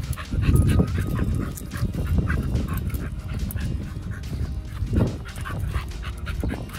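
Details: Pit Bull eating a raw food meal with New Zealand green-lipped mussels: wet crunching and smacking chews, steady clicks of jaws and shell, with irregular louder bites and faint background music.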